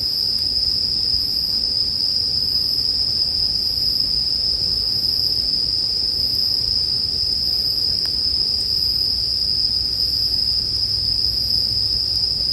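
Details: Sleep-music soundscape of bell crickets: a sustained, bright, high trill with gentle regular pulses above, and a warm, crackling fire beneath, with one sharp snap near the end.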